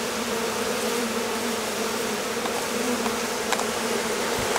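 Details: Colony of honey bees swarming on a hot day following a lengthy period of rain and cold; a continuous massed buzz with a few faint clicks and a short low thump near the end.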